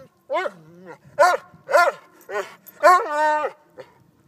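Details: Playing with a silky rooster, a Vizsla gives whiny, yodelling barks that bend up and down in pitch, spaced irregularly, ending in one drawn-out wavering cry and a soft final yip.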